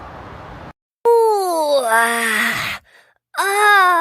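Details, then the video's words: Domestic cat yawning aloud, a drawn-out voiced sound that slides steadily downward in pitch over about a second and a half, then a short second vocal burst, with a brief gap of near silence between. "Lazy cats kittens yawning"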